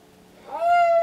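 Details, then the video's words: Deaf pregnant domestic cat Alice, excited in pre-labour, gives a single rising meow indoors that swells and holds steady, over a quiet background hum. "cat pregnant pre-labor signs / cat meow / deaf cat alice"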